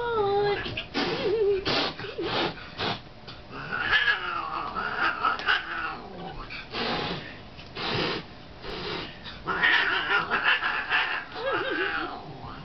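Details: Domestic male cat, now seven years old, growling and hissing at a woman who teased him as a kitten; drawn-out wavering growls rise into harsh yowling bursts with breathy hisses between, indoors.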